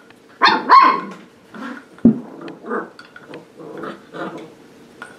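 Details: Seven-week-old puppies of a dog named Sparkle at play with a new play station: a few short yappy barks and squeals, two loud ones near the start then softer broken yips and growly bursts.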